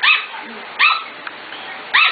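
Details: Five-to-six-week-old Corgi puppies from the Katie, Emma and Annie litters, 25 June 2014, give three sharp, high-pitched yipping barks spaced about a second apart, each with a quick downward-bending tone, over steady low hiss.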